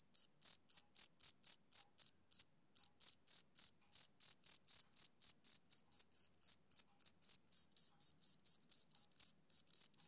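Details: A male cricket chirps on a summer evening in rapid, sharp, high-pitched beats, a little over three per second. There are short pauses after the first two seconds and near the fourth. The later pulses grow slightly softer, and nothing else is heard.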